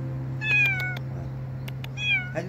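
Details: Street cats in a demolition-zone neighbourhood gather on the roof of an abandoned house, a safe lookout far from their feeding spot. Two drawn-out meows, each sliding downward in pitch, are heard over a steady low hum and a few faint clicks.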